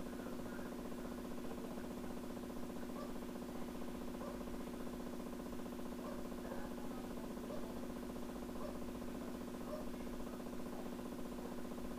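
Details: A steady low mechanical hum, like an idling engine or fan, fills the recording with no clear animal calls.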